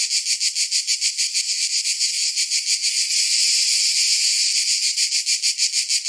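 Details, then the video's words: High, grating cicada chorus in summer, throbbing at a steady three to four beats per second, blending into an even, unbroken whine midway, then resuming its pulsed rhythm. "Summer Cicadas Sound"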